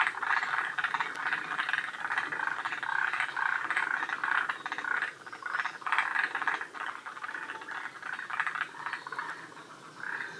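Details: Several forest green tree frogs call together at Shiriya, Aomori, northern Japan, near the species' northern limit. Harsh rattling croaks pulse in rapid trains, with a brief lull midway before the chorus swells again.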